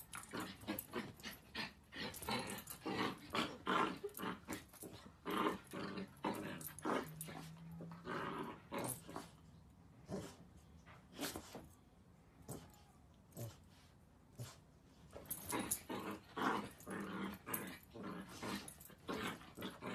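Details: Miniature Dachshund from a funny pet compilation, growling and grumbling in uneven broadband bursts with short pauses, one low steady hum in the middle, heard indoors.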